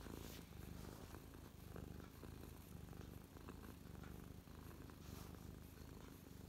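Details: Domestic cat Mia purrs contentedly on her owner's lap on 12/12/2023, recorded close up; a continuous low rumble pulsing gently with her breathing, no other sounds intruding.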